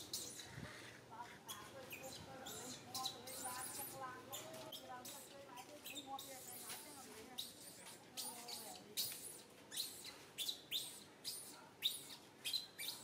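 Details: Baby monkey Santo crying sadly and angrily as mother Sara pays no attention; a long run of wavering, warbled whines gives way to quick piercing squeaks that grow more frequent and louder toward the end.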